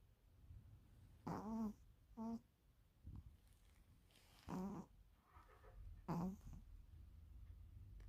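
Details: Sleeping Pomeranian Ponzu gives a tuba-like snore: five short honking, tonal snorts, some in quick pairs, spread over several seconds amid a quiet low hum.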